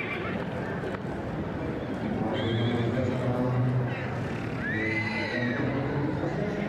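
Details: Two-year-old Welsh mountain ponies, a filly and a gelding, with a brief whinny: a rising, arching tone that then falls away, plus a shorter wavering call earlier. Background noise and low rumbling run throughout, with human voices.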